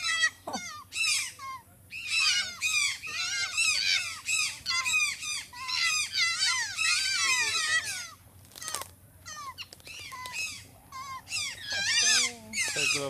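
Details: Grey fox at Tikal, Guatemala, fighting a boa constrictor that is strangling another fox: rapid, high, squealing and chattering yelps in dense bursts, breaking off into short gaps, with people speaking Spanish nearby.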